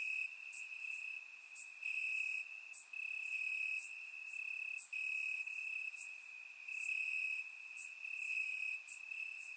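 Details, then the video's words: Crickets chirping in the grass on a warm summer night in Bulgaria, recorded with a surround microphone; a steady high trill holds throughout, pulsing slightly louder every second or two, with faint higher ticks from other insects above. "Cricket Sounds - Crickets Chirping at Night"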